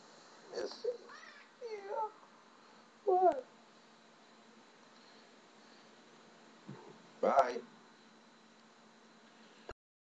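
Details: Talkative, persistent female house cat meowing loudly because she wants something; several short, bent, rising-falling meows and chirps scattered over ten seconds, with quiet room hum and a person's voice nearby.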